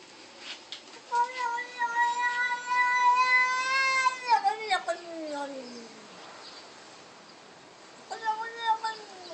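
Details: Angry domestic cat grumbling, a long drawn-out harmonic yowl held steady then sliding downward, followed after a pause by a shorter wavering cry; a person speaks nearby.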